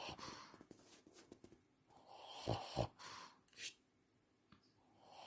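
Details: An 11-year-old Shih Tzu with breathing issues breathes with rough, snoring-like snorts and wheezes while awake.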